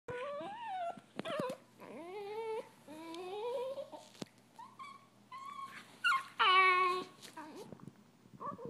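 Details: Two Italian Greyhound brothers, annoyed and disagreeing, trade rising, harmonic whining moans and sharp high yips in quick succession, with brief pauses between the grumbling phrases.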